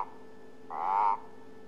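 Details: Guttural toad, identified as an Eastern olive toad believed to be the one calling a lot from the pool at a dam in Djuma Game Reserve, South Africa, gives one short, buzzy, mid-pitched croak of about half a second, rising slightly before stopping abruptly, over faint room hum.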